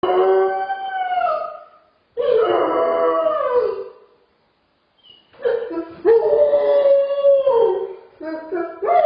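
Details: Dog with separation anxiety whining and crying alone in a crate: long wavering, tonal howl-like cries that slide downward, two long cries separated by a short silence, then a broken series of rising and falling whines.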